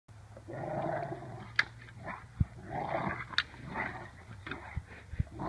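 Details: Labrador Retriever indoors, giving low, rumbling growls in two drawn-out bursts with a few sharp knocks between them.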